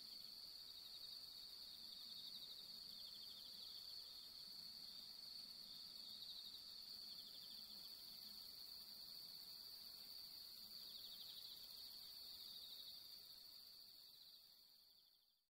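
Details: Bell crickets on an autumn fifteenth-night, long night among pampas grass: sustained shrill ringing tone overlaid by repeated pulsed chirps, roughly four per second, fading out at the end.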